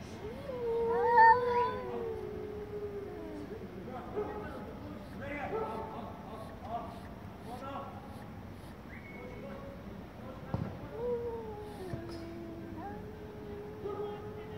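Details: Angry domestic cats meowing loudly, several wavering, whining calls of varied length over about fifteen seconds, with other faint sounds and a sharp knock partway through.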